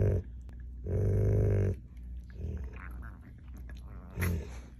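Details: Dog growling while a pug steals a German Shepherd's bone; low rumbling growls in long bursts, one lasting about a second near the start, with quieter grumbles between and a short final growl, indoors.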